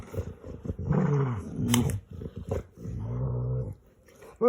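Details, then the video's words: Funny noises from a male pet dog playing games with his owner: low, warbling growl-moans in two main bursts with quieter grumbles between, in a small indoor room, ending with a short sharp sound. "Cute dog makes funny noises with his owner"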